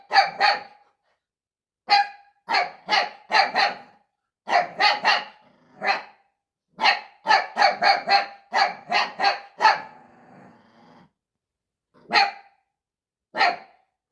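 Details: A male puppy barks at his own reflection in sharp, high bursts, often in quick runs of two or three.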